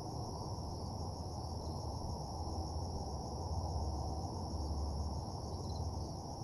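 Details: Night crickets in an empty parking lot give a continuous high shimmering trill without pauses, laid over a heavy low rumble that swells slightly midway.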